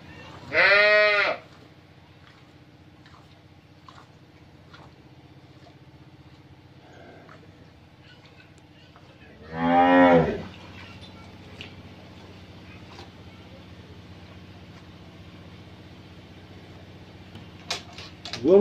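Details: Two separate moos from a Friesian cross cow in her second calving, on a dairy farm at Bhangura, Pabna, Bangladesh: a short bellow early, another about nine seconds later, with soft farm noises, clicks and a sharp knock at the end.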